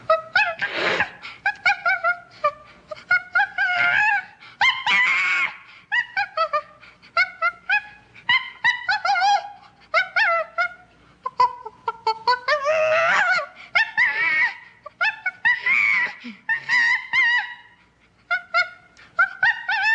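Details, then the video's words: Common chimpanzee giving a dense stream of loud, tonal, wavering calls and shrieks, short bursts overlapping almost without pause, some rising into harsher screams. "Common Chimpanzee Sound Effect"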